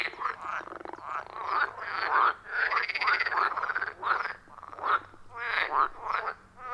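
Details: Frogs calling in a loud chorus around a wild forest pond, recorded on an iPhone 14 Pro with a Shure MV88+ microphone: dense overlapping croaks and rattling notes, voices crowding over each other almost without pause.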